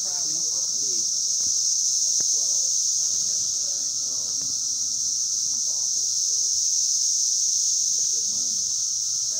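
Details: A dense, unbroken, ear-numbing high-pitched drone from a massed Brood X periodical cicada chorus emerged after 17 years, on hiking trails at Turkey Run State Park, steady throughout, with faint bird calls beneath.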